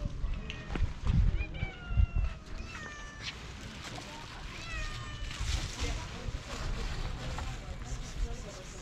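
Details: Hungry feral cats on a sidewalk begging for food: several thin, arching meows with harmonics between about two and four seconds, overlapping with a man speaking Turkish and low street rumble.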